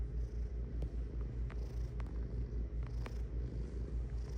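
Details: Close, deep purr from a domestic cat, a regular throbbing rumble of about two and a half pulses per second, with scattered small clicks over it.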